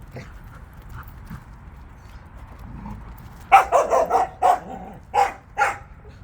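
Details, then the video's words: Jindo dogs on a walk, several together; after a few soft yips a run of seven or eight loud, sharp barks comes in quick uneven succession over about two seconds. "진돗개들의 산책"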